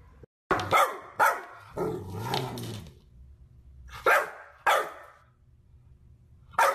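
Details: Golden Retriever puppies barking: sharp, loud single barks, two close together near the start, then a rougher, drawn-out sound with low growl-like tone, a quiet gap, and two more spaced barks before a final one at the end.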